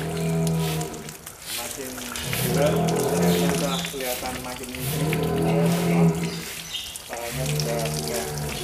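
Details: Huge Angus bull Real Douglass in Indonesia, enjoying a bath: low humming moos recur through the stretch, partly masked by background music, splashing water and voices.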